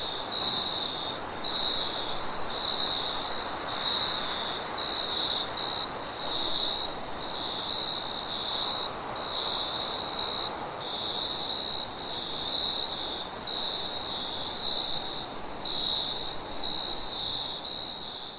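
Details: A cricket chirps in steady, high-pitched pulses over a soft rush of wind at night.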